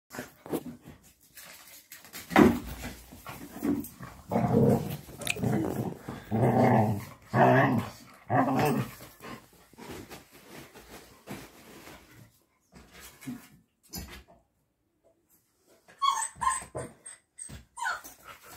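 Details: A Labrador Retriever at play gives rough, throaty growls in uneven bursts, loudest from about two to nine seconds. Quieter snuffling follows, and short squeaky high sounds come near the end.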